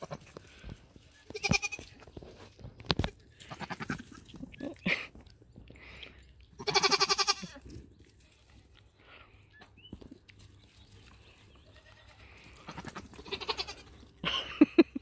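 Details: Nigerian Dwarf dairy goats near a buck for the first time during breeding on New Year's Eve 2020. Scattered bleats rise above a woman's chatter, with one strong, nasal, wavering bleat at mid-clip.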